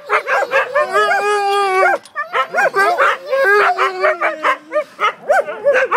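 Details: A group of Siberian Huskies vocalizing at once, opening with a long level howl, then a burst of choppy yips and whines, and a slowly falling drawn-out note near the end.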